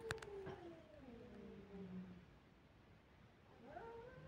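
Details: Kittens crying: a fainter, low, descending meow that fades out, a brief click at the start, and another soft rising meow beginning near the end against background hiss.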